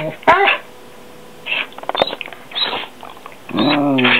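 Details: Two pet dogs, a German Shepherd cross and a Goldendoodle, making funny noises indoors: bursts of high, harmonic whining and yelping with quick rising and falling pitch, separated by short pauses, the final burst a long stacked whine.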